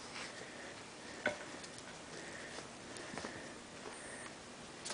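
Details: A quiet indoor room with soft ticking and one sharp click, with no animal call heard.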